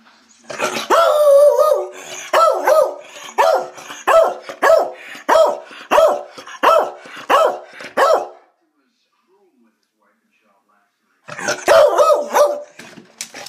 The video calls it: Lucky The Beagle Barks (ORIGINAL)